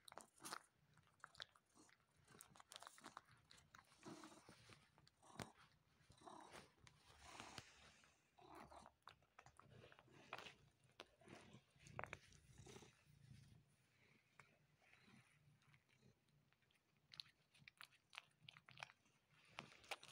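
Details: A male pet cat suckling on his owner's arm indoors, vainly trying to draw milk: irregular bursts of wet smacking, sucking and soft clicking noises, some louder pulses between quieter stretches, continuing throughout.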